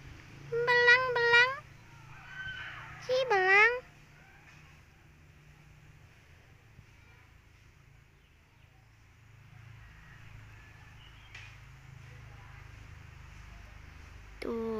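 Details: Visiting orange tabby cat, relaxing and lying about on a windy afternoon, utters two quick pairs of clear meows within the first four seconds, then falls silent through a long quiet stretch before another call starts right at the end.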